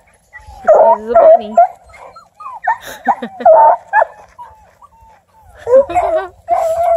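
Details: Ten-month-old female Bluetick Coonhound River Styx Indigo, a UKC-registered house dog, mixing loud barks with high whines and yips in uneven bursts separated by short quiet gaps.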